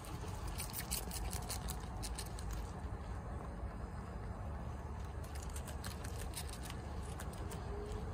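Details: Pet guinea pig Chia, a female kept at home, eating bok choy quickly; two stretches of fast, crackly chewing clicks with a short lull between them, over a constant low background rumble.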